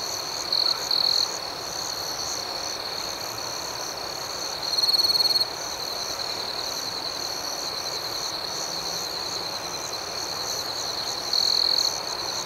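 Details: Crickets singing at night: a continuous high, rhythmic chirping chorus broken by three louder trilled bursts, early, midway and near the close.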